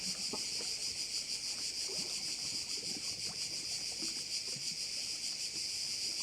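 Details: Crickets sounding at a Korčula bay, Croatia: an intense, shrill, sizzling buzz that dominates, pulsing evenly about three times per second, with only slight low background noise.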